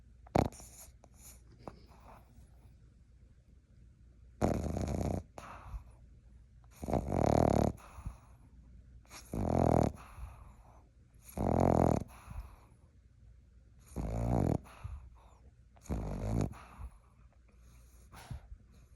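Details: Ivy, a Boston Terrier puppy, snoring while asleep: rough breathy snores roughly every two to two and a half seconds, each about half a second long, with quiet pauses between them; a few short soft sounds open the recording.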